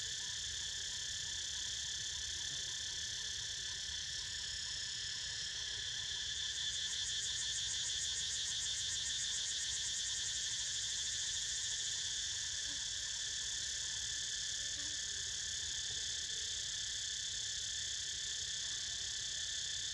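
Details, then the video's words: Cicada chorus accompanying Niko's snooze, a continuous high buzzing wall of sound; around the middle a fast throbbing pulse swells in the upper band, then eases back to an even drone. "Snoozing To The Sound Of CICADAS!!"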